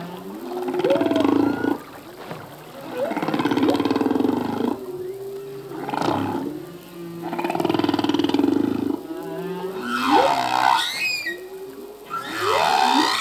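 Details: Singing male humpback whale, its song changing each year with learned phrases: rhythmic swelling roars about every two seconds, layered low moans, and a final burst of high rising harmonic squeals.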